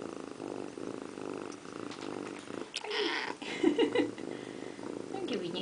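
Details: In a bathroom sink, pet cat Indiana Piano Rabbit bathes and purrs in a low pulsing rumble, interrupted midway by short tonal meow-like chirps before the purring resumes.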